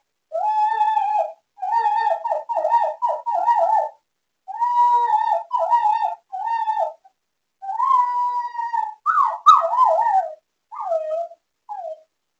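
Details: Duncan, a miniature schnauzer, howls in his sleep: a run of wavering, tonal, whistle-like howls with rich harmonics, broken into bursts of one to two seconds, the last ones sliding higher then dropping, in a silent room.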